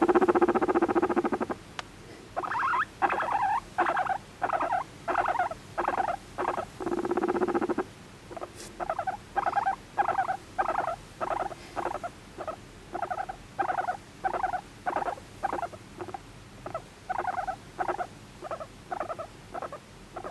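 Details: Affectionate pet guinea pig, adopted at one and a half years old, seeking attention: two long sustained buzzy squeals at the start, then a steady series of short squealing wheeks, roughly two every second, until the end.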